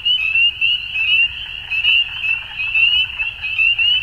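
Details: Frogs at dusk in full chorus: high, buzzy trills overlap into a constant shimmer while sharper upward chirps rise and fall in waves, over a soft low background.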